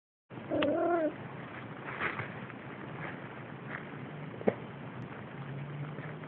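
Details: Siamese kitten at play gives one short meow lasting under a second, steady then slightly falling, over a constant low background hiss; a faint click follows later.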